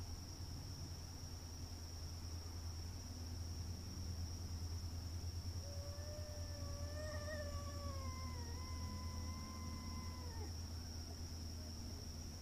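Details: Fighting cats in a front yard: a single long, moaning yowl that wavers up and down for several seconds and slowly drops away, set against a steady low hum, a high constant whine and near silence at first.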